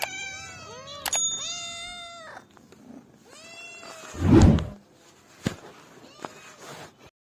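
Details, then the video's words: Domestic cat meowing repeatedly, a series of clear harmonic meows, some rising, some falling, broken by a loud low thump midway and sharp clicks. "Billi ki Awaj|cat sounds|Cat Mewoing Sound Effect"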